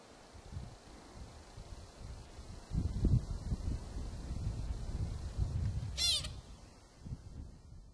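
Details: American pika calling in Kokanee Glacier Provincial Park, British Columbia; one short high squeaky call with a descending sweep about two-thirds through, while gusty low wind rumbles throughout.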